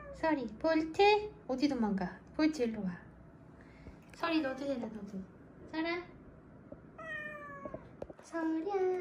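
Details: Rescued weak kittens, discovered leaning on each other on the road back from a funeral, cry in a rapid series of high, downward-sliding meows, several overlapping in bursts, with a person talking softly indoors.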